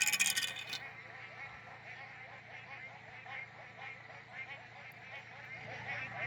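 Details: A dense frog chorus in the rain at night in Central Queensland's Brigalow region, a steady mass of overlapping rapid pulses and trills.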